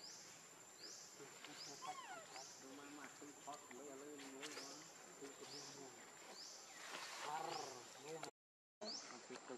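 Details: Baby monkey Leo, hungry, crying to beg its mother for milk: wavering, harmonic whimpers in short bursts and drawn-out moans, while a steady high rising chirp from another creature repeats about once a second behind it.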